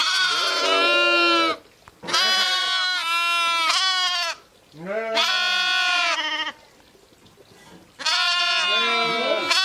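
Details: Sheep and lambs bleating in four separate loud, nasal, strongly harmonic calls, each lasting one to two seconds, with short quiet gaps between them and some calls bending upward at the end.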